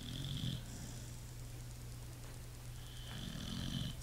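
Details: A pit bull asleep, letting out a raspy low snore at the start and another near the end, with calm quiet breathing between them and a constant low hum in the room.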